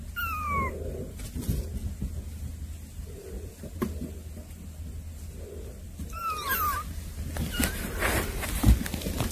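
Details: Cats visiting younger kittens indoors; two thin, falling meows, one at the start and another around six seconds, with a constant low hum, rustling and a sharp knock near the end.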